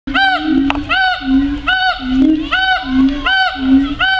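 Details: Siamangs at the Phoenix Zoo chatter: loud, ringing, arched barks layered over a steady droning tone, repeated about every half second. One calling ape's throat is seen working as it makes noise.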